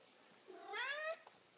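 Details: Big Maine Coon cat during a belly rub gives one clear meow that starts low and slides upward, rich in overtones and lasting about half a second. A person talks to the cat around it.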